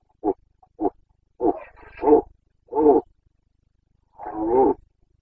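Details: Boncănit of a Carpathian stag in Bucovina, breeding season, 29 September 2022: two short barking roars followed by longer, rougher bellows, the last one drawn out and wavering.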